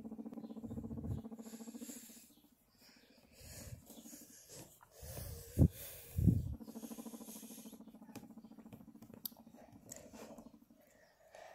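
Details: Smiggle the pet guinea pig being petted gives a long, evenly pulsed low rumble that pauses briefly, is broken by a few sharp handling knocks near the middle, then resumes steadily.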